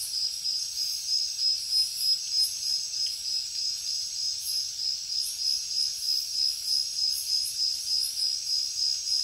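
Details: Night chorus of jungle crickets, a constant piercing high trill overlaid by rhythmic higher chirps repeating roughly three times per second, fairly regular, with nothing else audible.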